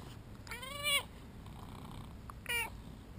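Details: Vocal two-year-old male British Shorthair meowing during play indoors: one longer rising-then-falling meow, then a shorter second meow about a second and a half later, with quiet room noise between.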